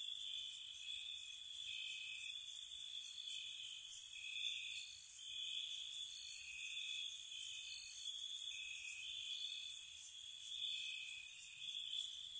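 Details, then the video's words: Cottage surroundings on a spring night filled with cricket song: steady high trilling bands punctuated by brighter chirp bursts at irregular intervals, otherwise quiet. "Spring Cottage Night Ambience, Nature Sounds for Relaxation & Sleep, Cricket Sounds"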